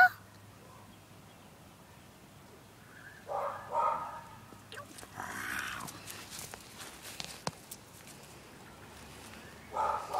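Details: Small pet dog barking at the neighbouring dog next door, a few short, harsh bark bursts spaced apart by quiet gaps, with faint background noise.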